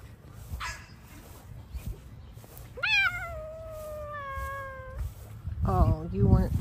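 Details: Bengal cat, female, exploring a garden and munching grass, gives one long drawn-out meow that rises quickly then slowly falls over about two seconds; a woman speaks softly to her before and after, with low background hum.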